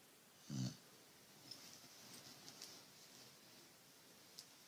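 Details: Lola, a pet dog, snoring while asleep indoors: a single short, low rumbling snore near the start, then quiet room tone with a few faint high ticks.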